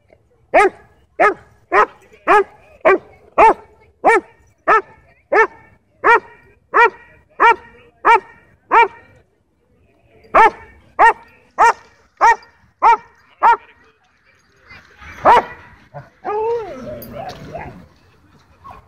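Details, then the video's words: Dog at a dog park, play interrupted by a dogfight; a steady series of clear, ringing barks about every half second, a short break, another run, then a rough snarl and whining yelps at the end. "Happy Dog Park Play Interrupted By Dogfight"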